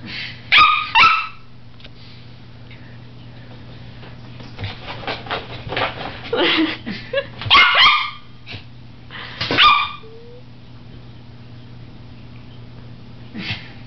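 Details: Josie, a papillon dog, frightened by a colander, gives sharp high yips and barks in short bursts: a pair near the start, a scattered softer run midway, then two loud yips later and a faint one at the end, over a steady low hum.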